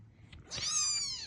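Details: Kitten meowing to be picked up by its mother: a single high, thin, drawn-out mew with many stacked harmonics, rising briefly then slowly falling, after a soft faint squeak, in a quiet indoor setting.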